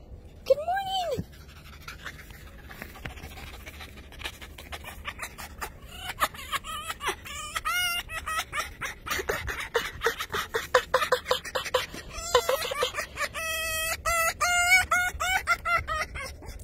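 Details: Fox greeting its owner in the morning indoors: high, wavering squealing whines, then bursts of rapid chattering chirps mixed with panting, while a person cheerfully repeats good morning over faint laughter and music.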